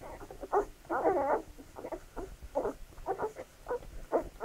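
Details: Feeding-time Labrador Retriever puppies: a long wavering whine near the start, then a string of brief high squeaks and yelps in irregular rhythm.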